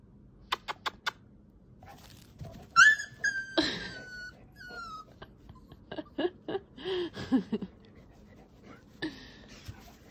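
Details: Puppy in Italy scared by an older dog trying to play; sharp high yelps and a drawn-out falling whine, mixed with clicks, thuds and short scuffling sounds, then a laugh.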